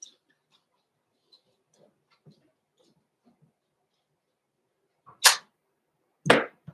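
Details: Blenheim Cavalier King Charles Spaniel puppies, Roman and Blue, six weeks old, born November 14, 2022, in an indoor puppy pen. Faint soft shuffles come first, then two sharp, loud yelping barks about a second apart near the end.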